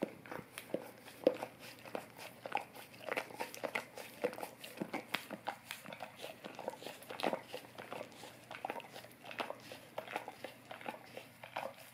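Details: A golden retriever licks an Orapup tongue brush to freshen its breath, indoors; continuous moist licking with crackly clicks and smacking, irregular and busy throughout, occasional louder wet pops.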